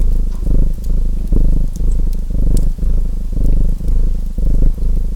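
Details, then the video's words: Domestic cat purring in slow, even waves, each low rumbling swell lasting close to a second and followed by a short dip, as a wood fire crackles and pops faintly in the background. "Relaxing Fireplace & Purring Cat Sounds"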